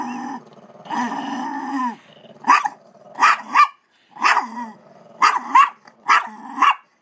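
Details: Guarding her dog treat from her sister inside a laundry basket, a female dog gives a sustained low growl, then a run of short snarling bark-like bursts roughly once a second, rising and falling in pitch.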